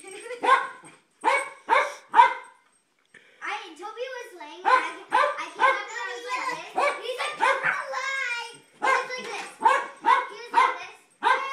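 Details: Jack Russell terrier barking again and again as children play with light saber swords; sharp barks in quick runs mixed with overlapping children's voices and a steady high electronic tone.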